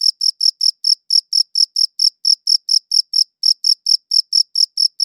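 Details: A cricket chirps in high, short pulses, rhythm slightly uneven with a couple of small skips, otherwise a continuous rapid series; nothing else audible.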